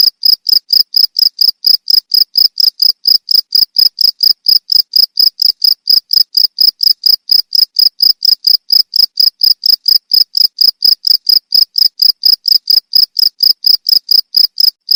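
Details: Continuous cricket chirping for songbird training: fifteen seconds of loud, shrill, evenly pulsed chirps, around four per second, unchanging in pitch and volume, with nothing else audible.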